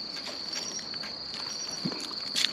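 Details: A male pine cricket sings a clear, high, ringing trill that brightens into a sharp chirp at the end, calling from roadside grass at night on 13 October.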